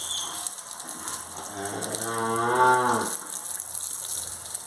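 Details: Cattle on a farm in El Salvador, Gyr cows and Holstein-Jersey crossbreds near calving: a single moo of about one and a half seconds, rising then falling, over a steady hiss of background noise.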